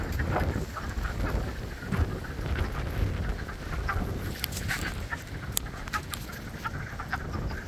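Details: Frogs calling together in spring at Blue Cliff, a dense overlapping chorus of short rasping croaks with scattered sharp clicks, over steady low rumbling wind noise.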